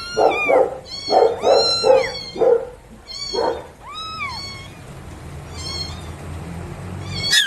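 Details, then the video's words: Newborn domestic kittens meowing: several overlapping, high, arching mews in quick bursts over the first four seconds, then a few thinner, fainter cries against a low background rumble. "Cute Newborn KITTENS MEOWING Baby Kitten Meowing Sound Effect A Cats Meowing Compilation"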